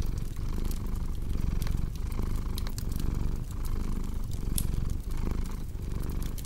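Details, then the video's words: Domestic cat purring beside a crackling fireplace, a deep low rumble swelling and fading in breath-length cycles under frequent sharp pops and snaps from burning wood. "Purring Cat"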